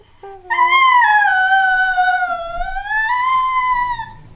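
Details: Pet schnauzer Buckley singing: a brief low note leads into one sustained, tonal howl that sags gently in pitch through the middle and then climbs back up before fading.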